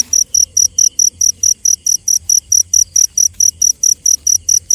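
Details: Cricket at night giving a steady run of sharp, high-pitched chirps, each short pulse ringing and repeated about four times a second with even spacing; a faint low hum sits underneath.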